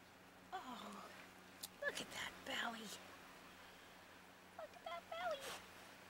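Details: Puppies playing, giving short high whining yelps with a rising and falling pitch, one burst near the start and another cluster near the end, with a person talking softly to them in between.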